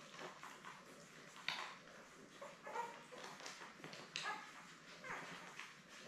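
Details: Newborn Labrador Retriever puppies, seven born May 24, 2021, with their mother Belle on an indoor puppy cam on 3 June, give short high squeaks and whimpers in quick scattered bursts over soft rustling.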